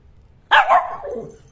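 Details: A male Shih Tzu, tagged as a puppy, barks once because he wants to play: a single sharp, loud bark that trails off into a softer, falling tail over about a second, in an otherwise quiet room.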